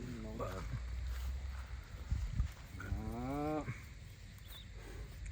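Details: Cattle heard while buyers walk around looking to buy cows: a short bellow, then a longer, wavering nasal moo of under a second, with people talking and rustling nearby outdoors.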